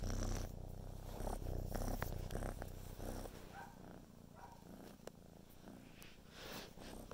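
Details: Purring kitten Carolina, busy helping make a film of her kitten brother; low, rapid rumbling purr strongest in the first three seconds then softer, with scattered clicks and rubbing noises.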